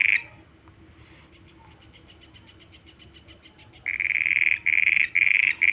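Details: Night-time frog calling: faint pulsing from a distant caller at first, then a nearby frog breaks in with four loud, harsh notes in quick succession near the end.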